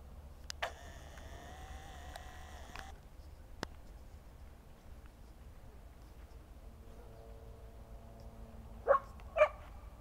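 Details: Two loud, clipped barks in quick succession from a Rough Collie at the close, during a homecoming with an unexpected horse encounter; a sustained tonal, music-like hum comes earlier, then low background drone.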